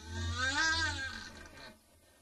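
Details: Nutria calling while mating: a low, moaning, harmonic wail that rises then falls over about a second and a half, fading into quiet background hum.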